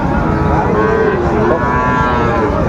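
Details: Brief low moo from Sahiwal bull calves for sale at a Mymensingh market, Bangladesh, 30 May 2024, blurred into the steady hubbub of people talking nearby.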